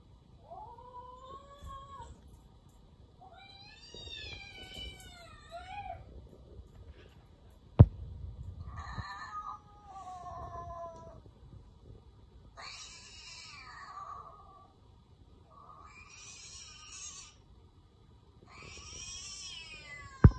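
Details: House cat reacting to hearing a cat's meow; a series of wavering, yowling meows, some quavering and strained, spaced a second or two apart, broken by two sharp clicks.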